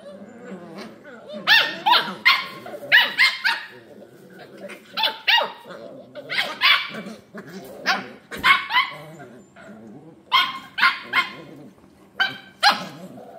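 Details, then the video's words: Scottish Terrier puppies romping together. Clusters of two to four harsh, shrill barks repeat throughout, broken by brief lulls of low growling and scuffling. "Scottish Terriers Puppies"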